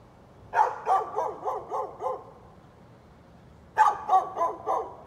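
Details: A neighbor's dog, recorded 13 November 2020, gives six evenly spaced harsh barks in quick succession, falls silent for over a second, then starts another fast run of four barks.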